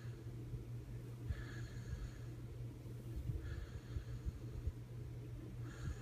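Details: Bandit the puppy snoring while sleeping hard in an odd position, soft breathy rasps roughly every two seconds over a steady low indoor hum.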